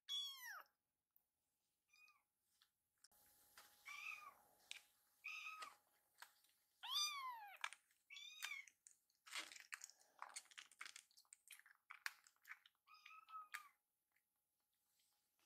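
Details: Foster kittens rescued as babies, playing together indoors like brothers: scattered short arched meows, some steeply falling, mixed with clicks, rustles and chewing-like sounds and a faint steady hum.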